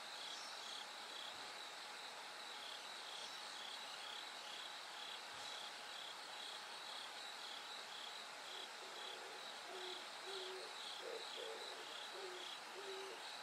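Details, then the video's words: Night-to-dawn chorus of bell crickets, the sky slowly lightening; rapid high-pitched ringing pulses repeat steadily, while low soft hooting notes join in the final seconds. "bell cricket Cry of falling insects"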